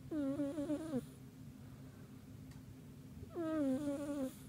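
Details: Domestic cat sleeping deeply at home, snoring. Two drawn-out voiced snores about three seconds apart, each lasting around a second, with a wavering tone that slides downward at the end. A low steady room hum fills the gap between them.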